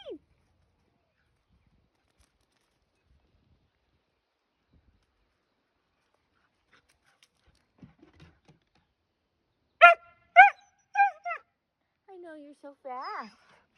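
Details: Husky, called the neighborhood alarm clock, calling outdoors in the morning: after a long quiet stretch, a run of loud, short harmonic yelps, then wavering, howl-like drawn-out calls dipping and rising, with faint clicks before.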